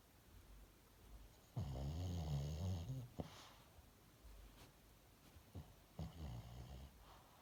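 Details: Dog asleep indoors, giving one low rattling snore of about one and a half seconds, then softer snuffles and a fainter second snore.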